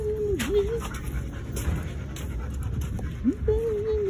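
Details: Belgian Malinois mix named Rex giving a thin, high, drawn-out whine that dips and rises near the start, then returns as a longer wavering whine at the end, over steady low background hum.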